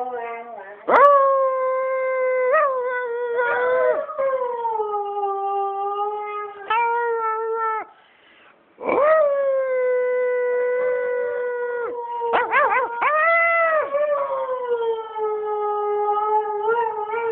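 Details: Pet Siberian Husky Tuscany, twelve years old, howls repeatedly inside the house: sustained wavering tones broken by sharp rising yips and short gaps, pitch swooping up at each new phrase, with a person's voice faintly in the background.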